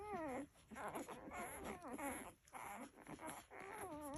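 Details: Nursing Labrador Retriever puppies crying in repeated high, falling whines about every second, each a thin wavering squeal with snuffly sounds between.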